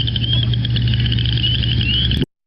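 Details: Western chorus frogs in Minnesota give a steady, high, creaky trilling chorus over a loud, low electrical hum; recorded on 23 April 2020, in spring.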